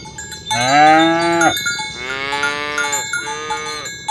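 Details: Cattle roaming a green grass field in the morning, driven toward the pen and calling others to gather: three moos, the first loud and sustained, the next two shorter and fading, over continuous cowbell clinking.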